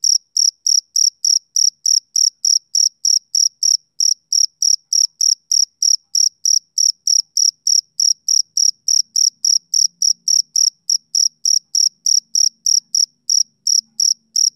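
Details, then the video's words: Summer-evening chirps of a male cricket, high and shrill, pulsing steadily about three to four times per second throughout; a faint low hum appears briefly near the end. "Cricket Chirping Sound"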